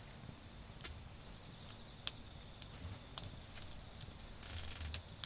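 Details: High, unbroken insect trilling on an autumn evening in a home garden while a bonfire burns; crackling snaps from the fire punctuate the steady drone, with faint low-pitched background noise.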